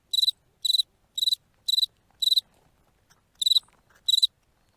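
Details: A cricket sings short, shrill, crackling chirps of four or five rapid pulses, repeated about twice a second, made by rubbing its wings together.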